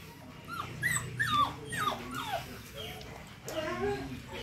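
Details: Doberman puppies whimpering and yipping, a run of high, short, falling whines, several in quick succession, then a brief pause and more drawn-out whimpers rising and falling near the end.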